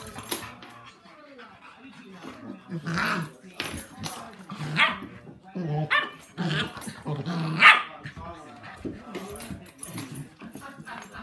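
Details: A 10-week-old puppy playing with and outwitting a 7-month-old dog; irregular bursts of sharp barks and yips with low growly sounds, mixed with people talking in the background.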